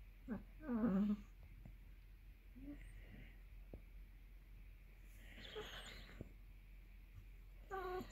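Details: Hungry for dinner, Basset Hound Millie lets out one short, loud, wavering whine early on. Quieter muffled sounds and brief fainter whimpers follow over low room noise.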